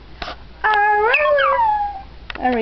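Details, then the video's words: A dog learning to say "I love you" gives one long, sliding howl that climbs, wavers, then glides downward, with a short whine starting at the end. "talking dog i love you"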